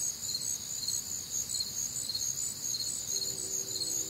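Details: Crickets and other nocturnal insects on a warm, humid Midwestern summer night: dense high chirping in steady pulsing bands, a few beats per second, with a faint low hum entering near the end.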